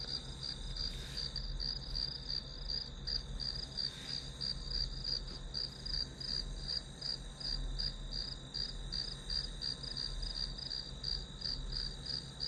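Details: Grass insects keep up an even, high-pitched pulsing chirp at roughly three beats a second above a sustained ringing tone; a low steady hum lies beneath.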